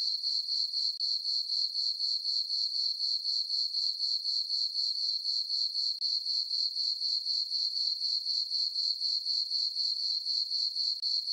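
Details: On a farm meadow at night under a full moon, crickets give a steady shrill chirping, a high thin tone beating in regular pulses about four per second, alone and uninterrupted.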